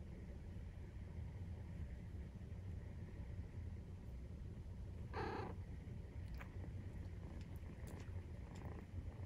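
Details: Maine Coon cat purring during nursing, 43 days after the kittens' birth, indoors; a steady low rumbling throb throughout, with one short sharp rustling burst midway and a few faint clicks near the end.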